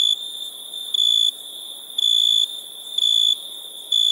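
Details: Four sustained, piercing cricket chirps at nighttime, each a flat high tone of about a third of a second, evenly spaced about one second apart against a quiet hiss.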